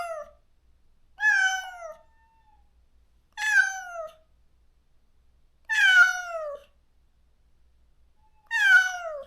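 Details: Countryside stray cat after neutering, calling out every day for its lost companion; four strong harmonic meows, each starting high and sliding downward, repeated roughly every two to three seconds in a quiet setting.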